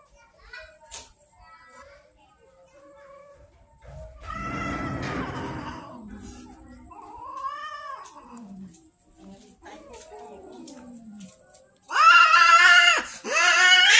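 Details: Hungry street kittens in Banyuwangi, Indonesia, complaining about late feeding. Scattered soft mews and a rustle lead up to loud, insistent, arching meows repeated at the end, with a person speaking in the background.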